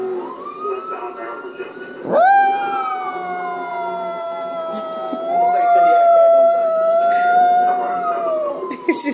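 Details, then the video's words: Indoor pet dog, female, joining in with sirens on a police show on TV: soft voices and low howling at first, then a loud, steady, siren-like howl that breaks in sharply and is held for about six seconds before fading. "dog making sirens sound"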